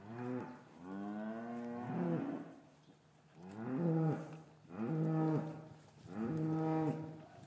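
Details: Cattle lowing in an English farm yard on a winter afternoon, calves separated from their mothers, recorded with a matched pair of Rode M5 microphones; four loud, harmonic moos follow one another about every two seconds, each rising then dropping.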